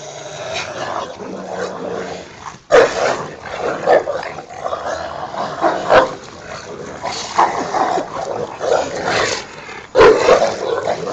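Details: In a back yard, two Rottweilers named Ceffy and Oscar fight playfully over a toy, trading choppy growls and gruff snarls in quick irregular bursts, with two abrupt loud outbursts.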